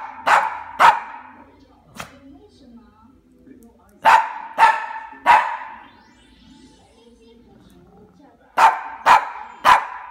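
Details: A hungry, angry Cavalier King Charles Spaniel gives sharp barks in bursts of two or three, demanding food.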